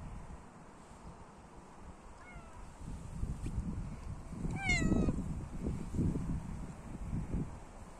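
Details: Cat meowing outdoors: a short faint meow, then a louder, clearer meow with stacked harmonics that slides downward, heard over a steady low rumble of wind and rustling.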